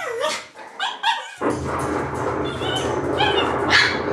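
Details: Shiba Inu puppies yelping: a few high, harmonic yaps in the first second and a half, then a mix of short cries over a steady hiss of background noise.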